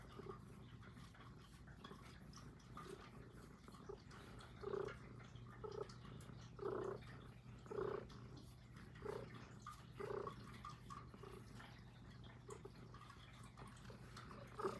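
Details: Puff, a female Highland Lynx cat, purring close up indoors in soft rhythmic breaths, each pulse rising and fading about once a second, quiet throughout with a faint steady hum underneath.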